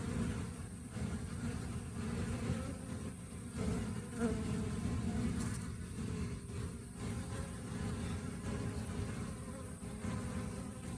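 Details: Honey bees during the rainy season, a steady low droning hum of many insects with broadband hiss throughout and no clear individual wingbeats or other sounds.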